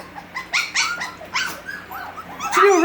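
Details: Havanese puppies at six weeks old indoors, giving short rising yelps and whimpers in a few bursts, with a person talking softly nearby.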